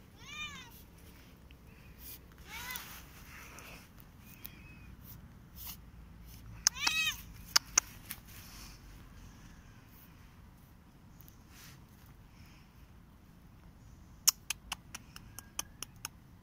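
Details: Korat cat at play in an autumn garden, climbing a tree; several brief arching meows early and midway, separated by quiet stretches, with sharp clicks and taps and faint voices in the background.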